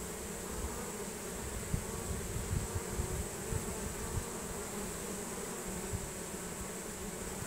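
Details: Swarm of honey bees entering their new home as the nasanov pheromone chain reaction draws them in; dense, even buzzing drone throughout, with scattered low thumps and rumble beneath.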